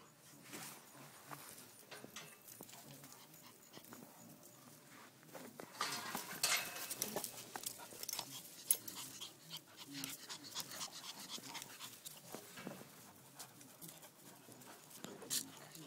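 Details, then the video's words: A one-and-a-half-year-old pet Rottweiler named Axel eating an apple, with a Boston terrier/pit mix and a chihuahua also around. Soft panting runs throughout, then loud, wet crunching bursts cluster near the middle before easing into quieter chewing. "Rottweiler eating apple"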